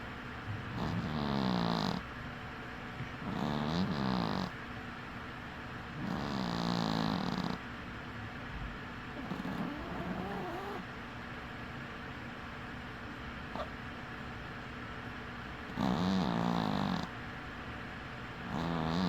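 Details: Cat snoring as it sleeps with one eye open; rough, rhythmic snores in bursts about a second long, a quieter irregular stretch in the middle, then louder snoring resumes near the end.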